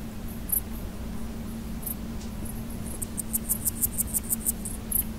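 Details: Stridulation of a male large gold grasshopper (Chrysochraon dispar): scattered high clicks, then a run of about ten evenly spaced sharp pulses lasting some one and a half seconds, all over a faint steady low drone.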